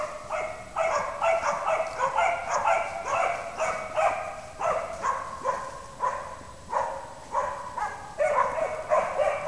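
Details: Slovak hounds, a pair kept in a pen, give a run of sharp, resonant barks spaced roughly half a second apart, some slightly drawn out, with a quiet background.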